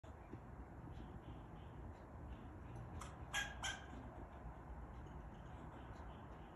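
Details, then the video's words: A male fox squirrel gives a brief cluster of harsh, raspy alarm barks over a steady low rumble, a predator warning answering another squirrel's alarm call in the background. "Listen to This Fox Squirrel Barking"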